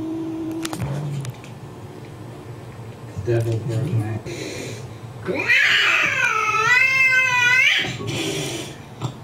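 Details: Pet cat watching an angry cat on a computer screen: after soft sounds and brief speech, a long, loud, wavering high-pitched yowl lasts about two seconds, followed by quieter murmuring.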